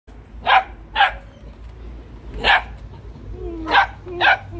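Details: Belgian Malinois barking: five sharp, loud barks at uneven intervals of about half a second to a second and a half, with a low steady hum underneath.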